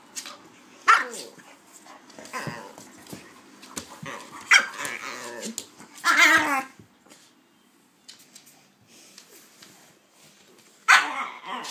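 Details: A pitbull and a King Charles spaniel, Kaiser and Viki, at play indoors; sharp single barks scattered through, separated by quieter snuffles and scuffling, with a few louder barks spaced several seconds apart.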